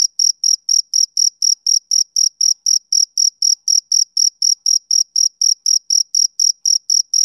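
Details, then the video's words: Rhythmic chirping of a male cricket on a summer evening, high and piercing, pulses evenly spaced at about four each second, nothing else audible. "Cricket Chirping Sound Effect"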